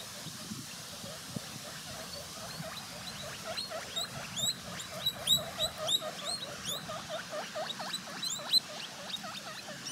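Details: Guinea pig eating, its gnawing heard as rapid, crisp crunching clicks in dense uneven bursts that grow louder toward the middle, over a steady background hiss.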